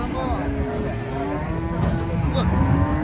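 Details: Cow unloaded from a truck and rampaging, giving a low, wavering moo under steady engine-like rumble and background voices.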